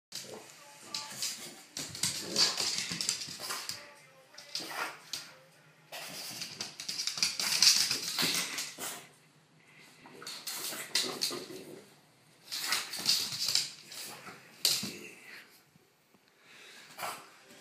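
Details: A French Bulldog, playing with a dirty sock, makes breathy grunts, snorts and small whimpers in irregular bursts.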